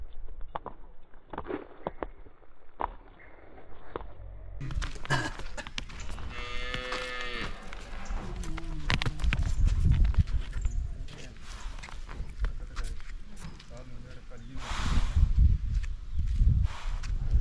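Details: A five-month-old Hallikar calf playing gives one drawn-out, harmonic moo of about a second and a half mid-recording, surrounded by rustling, thumps and low rumbling noise.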